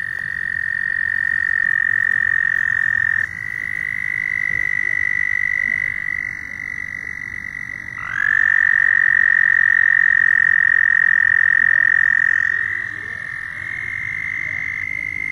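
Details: Several loud frogs trade long, unbroken high trills, each at a slightly different pitch, one caller taking over from another every few seconds with a small upward slide at the start, and no pause between them.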